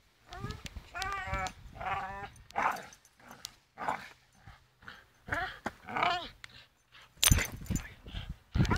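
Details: Charlie, a Staffordshire Bull Terrier, hangs and swings on a rope while making repeated wavering, whiny growls, roughly one burst every second, with creaks, knocks and a sharp clatter near the end.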